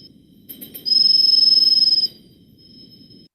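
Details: A true cricket recorded in rainforest gives a clear, high, pure-toned trill of rapid pulses, almost birdlike.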